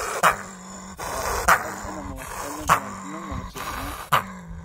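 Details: Gray fox barking sharply four times, one sharp yap roughly every 1.2 seconds, with a low steady droning growl-like tone running between the barks.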